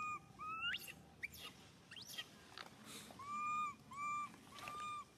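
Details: Baby monkey SUCA crying out loudly in pain after being grabbed by SUSAN: a series of drawn-out, tonal wails, some sliding upward and others holding steady, with harmonic overtones and a few sharp clicks between cries.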